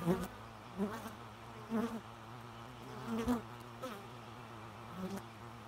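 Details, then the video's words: Bee flight buzz in short bursts, about one pass per second, each a brief low hum that swells and fades over a steady faint background drone. "Bee Noise"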